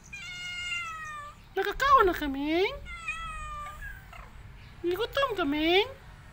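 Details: Cat meowing repeatedly indoors, with sharp rising-then-falling meows in two bursts, each broken into quick wavering segments, alternating with steadier level tones and a person's voice nearby.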